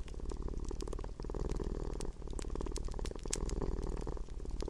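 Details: Close, deep purr of a domestic cat, a buzzy low rumble throbbing with each breath about once per second, accompanied by bright crackles and snaps from a fireplace.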